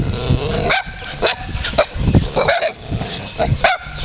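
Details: Several wild dogs at a temple in Ayutthaya, Thailand, greeting visitors: short sharp barks and yelps repeated about every half second, with a few whiny rising notes between them.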